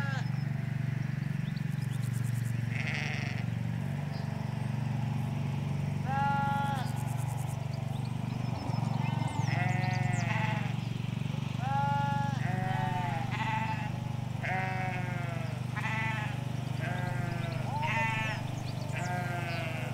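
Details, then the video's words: Sheep, ewes with their lambs, grazing a Hampshire countryside field: after a quieter start, a rapid run of short, quavering bleats follows one another nearly every second, overlapping callers of differing pitch above a constant low hum of distant traffic. "4K Sheep Field - One Hour Sound and Video"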